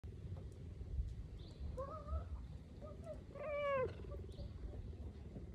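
A cheetah purrs in a steady low rumble, broken by a couple of brief high chirps.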